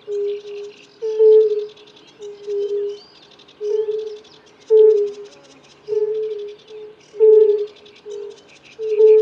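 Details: Several male European fire-bellied toads in a mating chorus, each giving single soft 'oo' hoots; the notes alternate and overlap at regular intervals, with birds singing in the background.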